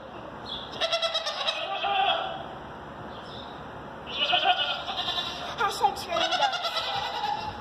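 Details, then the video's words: Goats screaming and bleating at a zoo: loud, harsh, wavering bleats in two bouts, the second long and drawn out, with a person talking over them. "Screaming Goats!!!"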